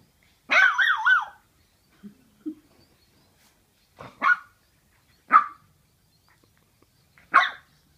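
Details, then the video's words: Two 10-week-old French Bulldog puppies playing: a wavering, rising-and-falling whine followed by short, sharp yips and barks about one to two seconds apart, with soft grunts in between. "French Bulldogs playing"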